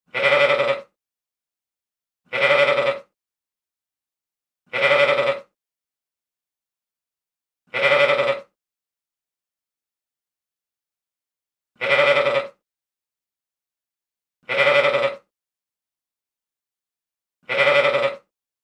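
A sheep bleats again and again, each wavering baa lasting under a second.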